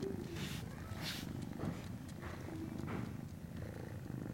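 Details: Norwegian Forest Cat kitten at a cattery on 19 January 2017, purring continuously in a deep, even, pulsed rumble, with a few soft rustles and breathy bursts over the top.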